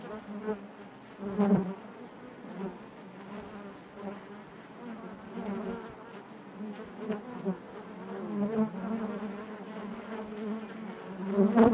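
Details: Continuous low hum of honey bees within the hive, thick overlapping buzzing that rises and falls gently, with brief louder surges near the start and end as bees move nearby.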